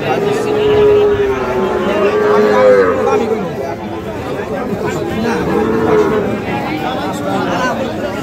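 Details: Drawn-out lowing from Sahiwal cattle on sale at Ambari market, Parbatipur upazila, Dinajpur, 11 July 2025, a steady tone lasting nearly three seconds over constant human voices and crowd bustle.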